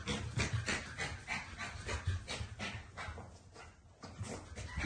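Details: Shih Tzu and Pug crossbreed dog panting rapidly, breathy rhythmic bursts at roughly three per second, steady and slightly uneven, with soft low rumbling handling noise underneath.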